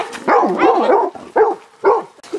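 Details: Golden Retriever puppies on their first outing in a wood, playing with other dogs in a protected dog area at Hundeskov on 9 November 2024; short bursts of yelping, whiny barks, three main outbursts, with softer whimpering in between.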